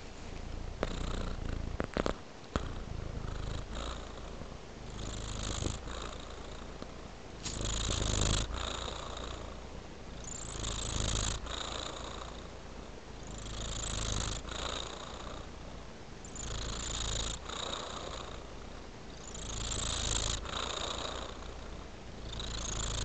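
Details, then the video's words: Relaxed domestic cat purring steadily indoors, a soft rumbling hum that swells and fades in slow breathing cycles roughly every three seconds, with brief breathy hiss on each inhale. "Purring Cat Relaxes"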